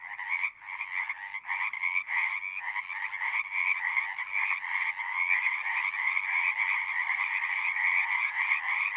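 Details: Loud frog chorus at a pond in a horse pasture, recorded with a Zoom 6; many overlapping rapid pulsed trills form a dense, throbbing wall of sound, swelling after a brief dip near the start.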